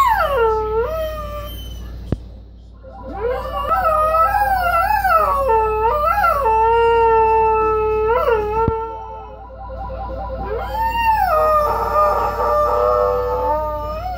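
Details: A pet dog howling at a phone, with long, sliding, wavering howls that rise and fall. Several drawn-out tones come in overlapping phrases with brief pauses between them, and a couple of sharp clicks are heard.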